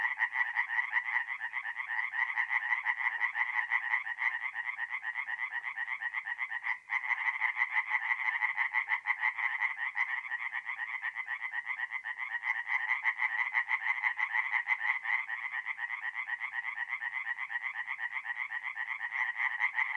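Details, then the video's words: Tree frog chorus from a forest pond at night in mid-April, north-east Italy: continuous, rapid rasping croaks from many frogs overlapping without pause, a steady loud pulsing wall of sound. "relaxing forest pond by night with singing tree frogs"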